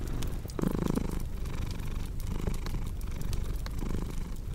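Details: Cat purring alongside a fireplace for relaxing sleep, a dense low vibrating rumble with soft rhythmic swells, a brief higher tonal sound near the first second, and scattered fire crackles.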